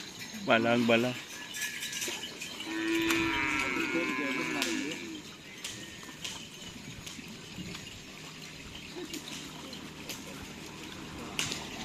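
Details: Cattle at a Karapan Sapi bull race in Pamekasan, ahead of the district-level selection: a short deep lowing moo near the start, then a longer drawn-out moaning call around three seconds, over steady crowd murmur and outdoor noise.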